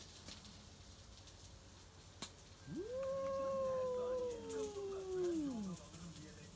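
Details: Midnight encounter between old rival stray cats, tabby: a drawn-out moaning yowl that swoops up, stays level for about two seconds, then bends down and fades, preceded by faint clicks and soft background noise.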